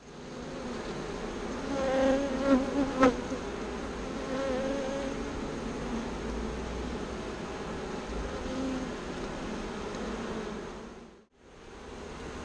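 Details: Bees moved from a birdhouse into a bee box hum steadily with a low buzz. The buzz swells with layered tones around two to three seconds, then briefly cuts out near the end before resuming.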